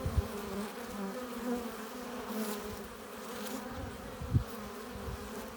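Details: Many honey bees at the hive entrance, coming in with pollen and nectar, make a continuous low drone; overlapping hums with occasional close wingbeat bursts and a sharp loud pass just after four seconds.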